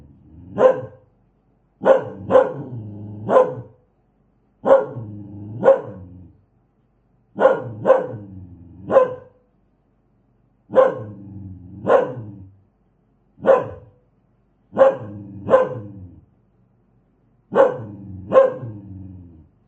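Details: Aggressive dog barking hard and loud, about sixteen sharp barks delivered in bursts of one to three, each burst cut off by clean silence; no other sounds.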